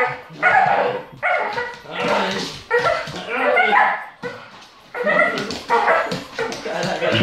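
A Bull Terrier makes odd, drawn-out whining and grumbling vocalizations in irregular bursts.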